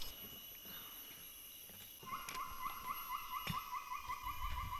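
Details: A captive female Kloss's gibbon at an Indonesian forest rescue centre sings a fast run of short, rising hoots at a steady pitch over constant insect whine, answered by wild siamangs nearby.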